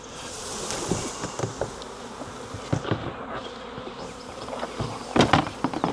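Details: Catching a wild honey bee swarm from a tree branch for hiving in a 5-frame nuc box: a continuous low buzzing hum runs beneath repeated sharp knocks and taps of handling, with a cluster of louder clacks late on.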